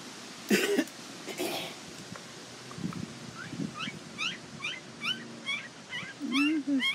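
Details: Nell x Skeet Border Collie pups at the International Peace Gardens, 12 August 2018: after a cough and brief human voice, a quick run of high, squeaky whimpers repeating several times a second, with a low voice near the end.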